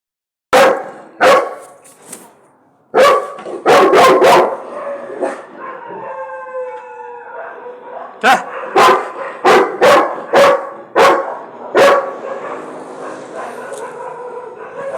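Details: A Labrador Retriever barking at other dogs barks hard and loud, in uneven clusters of two to four sharp harmonic woofs, with a wavering whine or short howl in a lull before the barking resumes.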